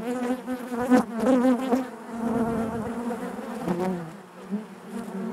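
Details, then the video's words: Buzzing of honey bees within the hive: a dense, continuous hum around 200 with rich harmonic bands, wavering pitch from close bees near the start and again near four seconds, loudness rising and falling. "bees therapy hive natural buzzing sound"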